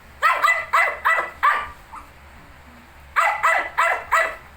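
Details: Shih Tzu with 19-day-old puppies: a quick run of five sharp, high barks, a pause of about a second and a half, then four more barks in a fast burst.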